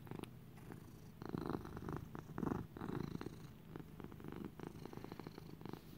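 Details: Little buddy, a domestic lap cat, purring while content; steady low rumble broken into regular pulsed bursts, with two louder swells near the middle, recorded close up in a small quiet room.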